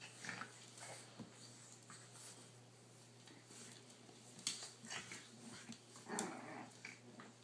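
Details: Boston Terrier father playing indoors with his puppies, a 3-month-old blue pup and two 5.5-week-old pups, recorded on a cell phone; short gruff growls and whimpering bursts amid scuffling, paw patter and a steady low hum.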